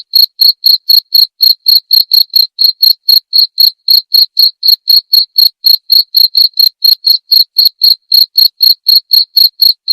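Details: Clear cricket chirps intended as training material for murai batu songbirds, meant for playing each night: an unbroken series of sharp, high-pitched pulses, roughly four every second, evenly spaced with no other sounds.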